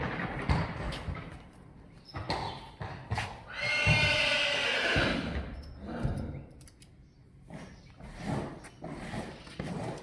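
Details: Friesian horse from a herd being measured for height lets out a loud, harmonic whinny lasting about a second and a half, with hoof clatter, thuds and Dutch speech before and after.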